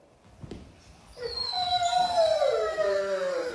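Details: German Shepherd puppy howl: after a faint tap, a long sustained tonal howl rises in, then wavers and slides gradually downward, growing louder and holding for about two seconds.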